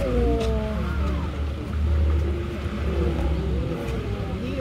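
A Steller sea lion gives low, wavering, growling calls over a deep rumble.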